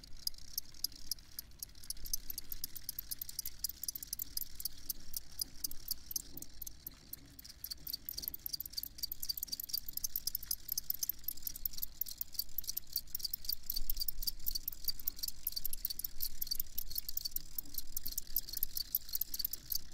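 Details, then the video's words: Shrill, rapid cricket pulses pour out continuously and grow fuller after the first few seconds, over a soft low-pitched hum. "Crickets Chirping"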